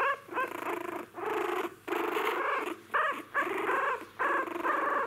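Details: Newborn Jack Russell Terrier puppies whose eyes have just opened give whining cries in bursts. Each cry is nasal and wavering, some rising then falling, with short silent gaps between them.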